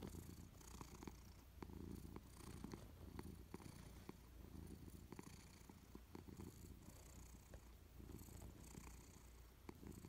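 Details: Persian cat dozing on a warm sofa, purring continuously: a deep, even rumble pulsing with each inhale and exhale about once a second, close to the listener, with occasional soft clicks and rustles.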